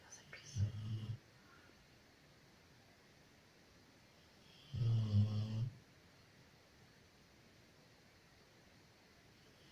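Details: Loya, a female Labrador retriever, snoring in her sleep: two deep, rasping, low-pitched snores about four seconds apart, the second longer and louder, with quiet room hush between.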